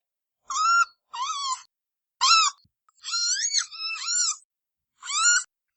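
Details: Red panda (Ailurus fulgens) uttering a handful of high, reedy squeals: short steady notes, then two longer calls whose pitch dips and wavers, and a final short squeal, with silent gaps between and no other sounds.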